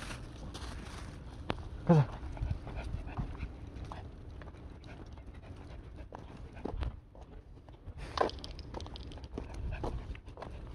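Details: Dogs on a car-camping trip at Jebudo, South Korea, on 10 May 2022; a brief high whine near two seconds amid soft panting and rustling, with another short whimper later and faint voices in the background.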